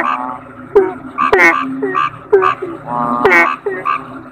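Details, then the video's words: Toad, locally called kodok bangkong, giving short harmonic croaks in irregular bursts, some overlapping as if from several callers, with a steady low hum beneath throughout. "Suara Kodok Bangkong"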